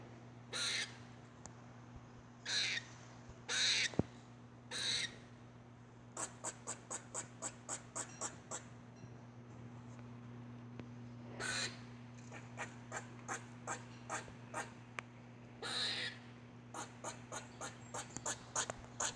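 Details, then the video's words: Squirrel calling strangely: four harsh, hoarse bursts at first, then fast trains of crisp clicks, another raspy burst and more clicking, all over a steady low mechanical hum. "Squirrel making weird noise"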